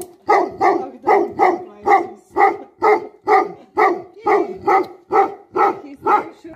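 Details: Guardian Tibetan Mastiff (Bhote Kukur) in Nepal giving a steady run of deep, hoarse barks, roughly two per second, evenly spaced throughout with no other sounds.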